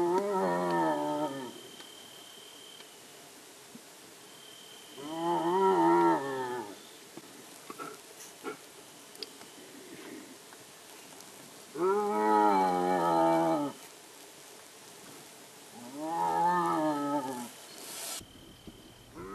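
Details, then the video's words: Striped hyena of India, known locally as lakadbaggha: four drawn-out, harmonic, moaning calls, each about one and a half seconds long, spaced several seconds apart with quiet background between them. "Striped Hyena Call"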